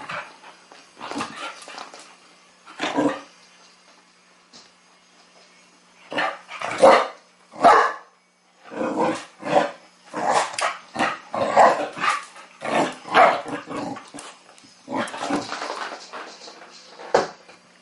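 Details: Teething Chow Chow puppy Sasha playfully takes on a mechanical ball toy, giving repeated short barks and yips, some in quick runs, over about eighteen seconds indoors.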